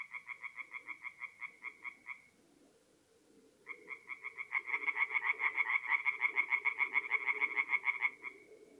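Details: Several tree frogs singing at night at a forest pond in mid-April, North-East Italy: rapid, even trains of nasal croaks, a brief pause, then a denser, louder overlapping chorus of pulsed calls.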